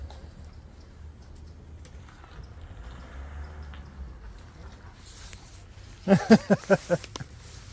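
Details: Siberian Husky named Sherpa talking: after several quiet seconds of low rumbling background, a burst of about five short, loud, harmonic woo-like yowls in quick succession near the end.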